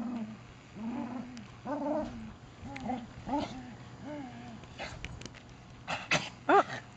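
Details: Bailey, a male Beagle, plays rough and direct with his Poppa: a run of short, low grumbling growls, roughly one each second, then scuffling and a few sharp bursts toward the end.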